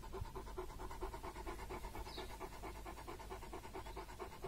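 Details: Female purebred German Shepherd offered for adoption, breathing in quick rhythmic pants a little over two per second, even and unbroken, with no other clear sounds.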